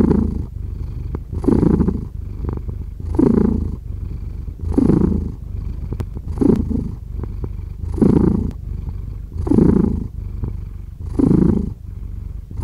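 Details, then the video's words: Pet cat purring, low vibrating hum with regular louder swells near every one and a half seconds, eight in sequence, faint clicks between them. "5 Hours of Cat Purring"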